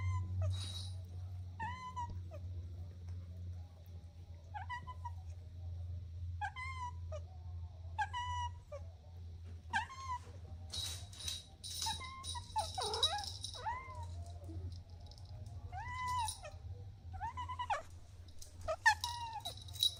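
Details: Kittens playing on grass give high, arched meows repeated roughly every one to two seconds, each a brief rise and fall, some doubled; low background rumble and occasional rustling throughout.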